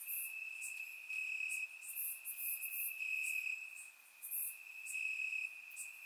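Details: Crickets in the grass on a warm Bulgarian summer night: a sustained shrill trill rising and falling in short swells, joined by bright, crackly high chirps clustered around the middle.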